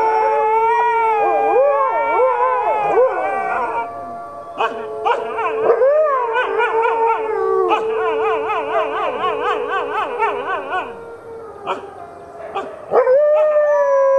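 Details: Four captive red wolves, including two nearly grown nine-month-old pups, join a chorus with other wolves at the Wolf Conservation Center, South Salem, New York. A steady low howl underlies many quavering, rapidly rising and falling voices and yips, fading midway before swelling again.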